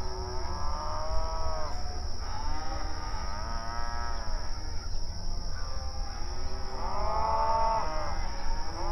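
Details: Grazing cattle on open range pasture mooing and communicating with each other: long, rich, harmonic moos at intervals of a few seconds, a louder one near the end, with a steady high whine behind.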